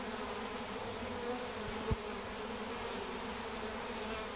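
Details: Honey bees from a swarm going into the box where their queen is, fanning to spread her pheromone; dense unbroken hum with a single soft knock midway.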